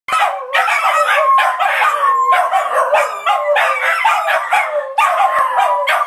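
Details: Three pet dogs howling together, something they do several times every day and loudly enough to be deafening. Wavering, overlapping howls rise and fall in a dense chorus, broken by short choppy yelps.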